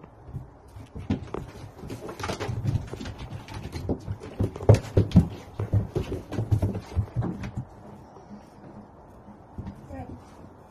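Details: Two domestic red foxes playing and fighting with each other. Low, rough, rumbling growls come in rapid, dense pulses for about seven seconds, then fade into quieter rustling and shuffling.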